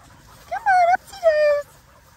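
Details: Linc, a baby Australian cattle dog, playing with the big puppies in a paddock: two drawn-out, tonal whines about half a second each, the first slightly wavering, the second sliding downward, over faint background rustle.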